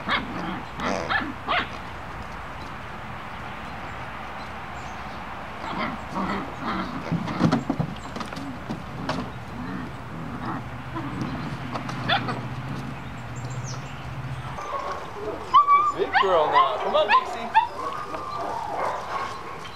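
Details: German Shepherd puppies from the W litter at play, giving scattered short yips and barks amid scuffling and thumps, a steady low hum through the middle, then a burst of higher whining yelps near the end.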